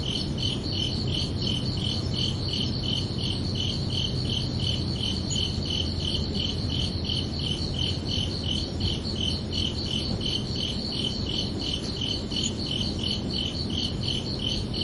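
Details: Summer night crickets keep up a fast, regular series of high pulsed chirps, nearly three per second, with a faint overlapping higher band and a constant low rumble beneath.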